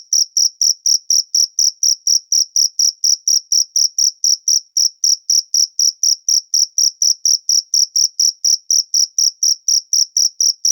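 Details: Cricket outdoors producing a steady train of piercing, high chirps, evenly paced and constant in volume from start to finish, with no other animals or noise.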